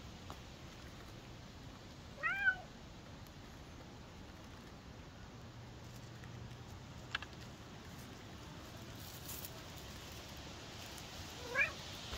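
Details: Maine Coon cat out in the forest in late summer, hunting for chanterelle mushrooms: two brief, bent meows about nine seconds apart, set against a soft, steady outdoor hiss.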